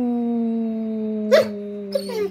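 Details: ['Pet Basset Hound coaxed into howling: one long, steady mid-pitched howl held for over two seconds, sinking slightly in pitch, with two brief rough catches in the voice near the end.']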